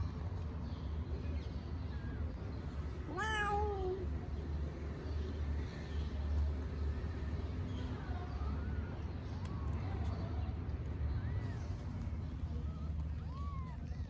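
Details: Mother cat talking to her kittens, likely a stray in Istanbul: one loud drawn-out meow early on, then a series of soft, short chirping mews spaced a second or two apart over a steady low hum.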